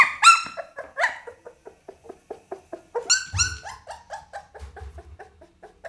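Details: Pit Bull puppy calling in short repeated yelps and whimpers, several a second, rising to a burst of loud high squeals in the middle, then fading back to soft rhythmic whines.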